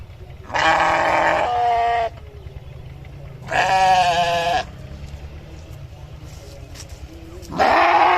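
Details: Sheep bleating three times, each call a harsh, wavering cry of about one to one and a half seconds, separated by pauses with faint low rumble.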